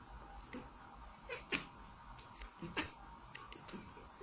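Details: Domestic cat talking with its humans, yelling in short meows: a few brief, wavering vocal cries spaced about a second apart over a steady background hum, with faint speech and music.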